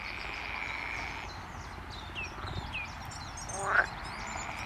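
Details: A colony of non-native edible frogs at Pagham Harbour nature reserve calling together, with overlapping rattling, quacking notes.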